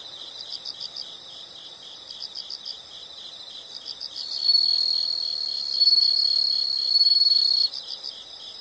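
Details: Insects chirp in short high-pitched pulsed bursts, three or four pulses per burst, then a louder steady shrill trill holds for about three seconds before the bursts resume.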